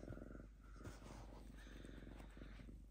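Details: A lynx named Diva, unusually calm indoors, shredding a paper towel while purring: a steady low pulsed rumble runs throughout, with faint rustling and soft background hum.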